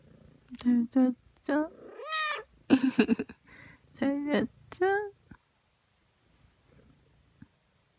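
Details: Ragdoll cats, aged one year one month and ten months, kept indoors, come to greet their owner on waking on a relaxed morning; several clear harmonic meows, some rising then falling, in quick succession, followed by near silence.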